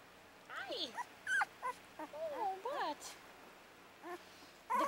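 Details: Puppies playing together, giving short high whiny yelps and whimpers with sweeping, bending pitch in scattered bursts, while a woman talks to them nearby.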